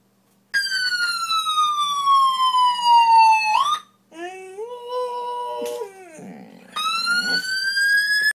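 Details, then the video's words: A Boxer dog howls along with a passing ambulance siren in long, wavering, siren-like tones, trying to copy the siren's sound. "Boxer Dog - Ambulance Howl"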